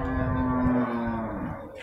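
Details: A single steady, low moo lasting over a second comes from beef cattle at the Purwakarta animal market, Monday 15 July 2024, fading out amid a busy market hum.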